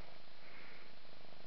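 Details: Purring from a mother cat as she grooms her five-month-old kitten, a soft continuous low rumble with no other clear sounds.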